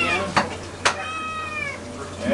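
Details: Hungry domestic cat giving one long, slightly falling harmonic meow, preceded by two sharp knocks, with a man's voice talking to it about starving.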